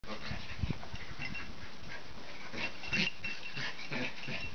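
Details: Norwich Terrier female play-fighting with her brother; low, rumbling growls and grunting pulses come in quick irregular bursts, with some higher breathy rasps mixed in.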